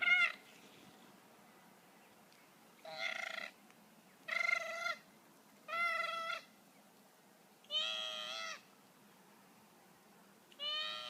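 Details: Two male koalas fight on the ground at a wildlife sanctuary, rolling about. They give five harsh, nasal wailing cries, each under a second, roughly every two seconds, over a faint steady hiss.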